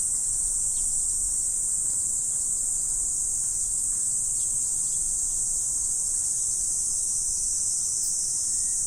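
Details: Insects singing on an autumn morning produce a seamless high shimmering buzz, steady in loudness from start to finish, with little else but a light low background murmur.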